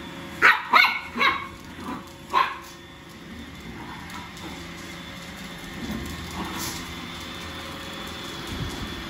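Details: A long-haired Chihuahua puppy (female) fighting a robot vacuum lets out five sharp, high yaps in quick succession, then goes silent, leaving a low, steady mechanical hum.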